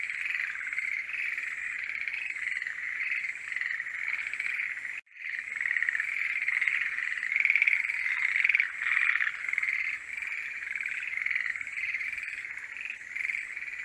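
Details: Forest green tree frogs calling in the season of love: an unbroken croaking chorus that drops out briefly near five seconds, then returns louder, with rattling peaks and a faint high whine.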